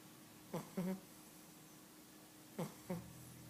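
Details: Sprockett, an 11-week-old Cavalier King Charles Spaniel puppy, snores in his sleep, giving two pairs of brief, nasal, buzzing snorts two seconds apart, each pair a quick double breath, in a quiet room.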